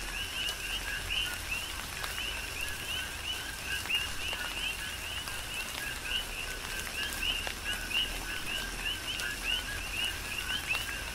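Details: Chorus of coqui frogs on Hawaii's Big Island during tropical rain, a dense stream of short upward-sweeping chirps from many callers, layered over a continuous drone and scattered raindrop taps.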